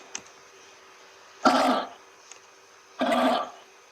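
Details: Two short, harsh, cough-like barks from a kangaroo about one and a half seconds apart, with faint clicks and a constant background hum.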